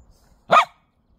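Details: Dachshund out in the cold and snow gives one short, sharp bark, with a person nearby asking what it is.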